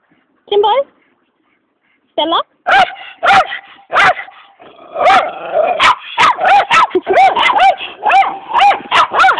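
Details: A group of Jack Russell Terriers barking up a storm: two brief yelps open, then a chorus of sharp, high yapping barks and yips builds into a rapid, overlapping volley.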